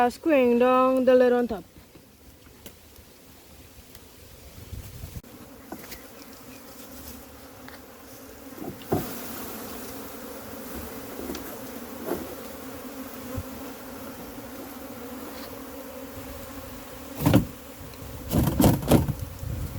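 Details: A massive wild honey bee hive during its capture gives a low, continuous humming drone that holds steady for most of the recording. A short stretch of talking comes at the start, and scattered knocks and handling noises follow.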